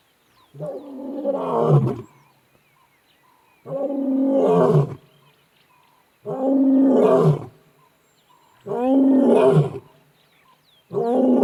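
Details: On a morning safari drive, the Nharhu male lion gives deep, moaning roars, each lasting over a second, repeated every two to three seconds.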